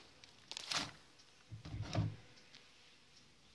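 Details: A few soft knocks and thuds sound in a quiet indoor space, with no animal sound present.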